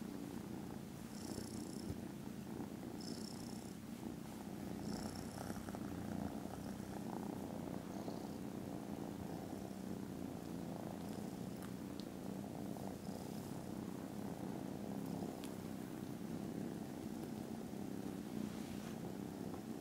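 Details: Contented foster kittens snoozing after lunch, filmed Friday 18 December, purring very loudly: a steady, deep, throbbing rumble runs throughout, with brief high chirping bursts repeating in the first six seconds.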